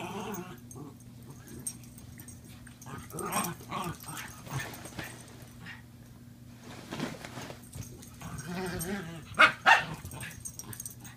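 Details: Pet Mini Dachshund Lindy and Norfolk Terrier Cisco at play, Lindy trying to interest Cisco in her new toy; scattered soft yips and whimpers, then a sharper cluster of barks near the end over a low steady hum.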